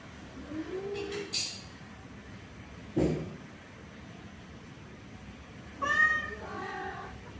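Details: Orange male cat trying forcefully to mate with a female: a short low mewl, a sharp knock, then after a pause a bright, clear meow followed at once by a second lower one.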